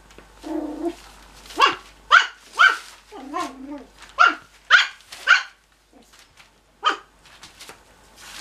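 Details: Cocker Spaniel puppies at play give sharp, high yappy barks in quick uneven bursts, with low growly grumbles between.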